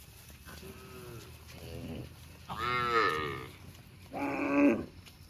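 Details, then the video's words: Cows eating grass in a park, mooing: a soft short low moo, then two louder drawn-out harmonic moos about a second apart, the last rising and strained, with light outdoor background noise. "Cows sound mooing eating grass in park"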